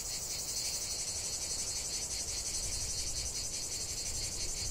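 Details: Cicadas singing in a lavender field: a dense, continuous high buzzing shrill with fast pulsing, steady throughout, plus low rumbling background noise.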